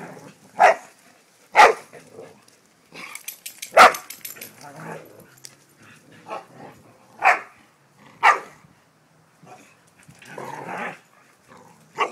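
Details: Dogs playing with their new baby brother bark in sharp, harsh single barks spaced irregularly about a second or more apart, roughly eight across the stretch, with a hiss and faint rustling between them.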